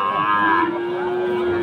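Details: Lowing at Aftabganj market, Dinajpur, Bangladesh, where Friesian and crossbred bull calves were on sale on Saturday 11 March; a single sustained moo that slides downward, then holds a flat, even tone to the end.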